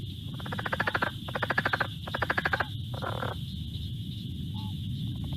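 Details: A southern leopard frog gives its weird, rapid, guttural chuckling call, three bursts in a row and then a shorter one.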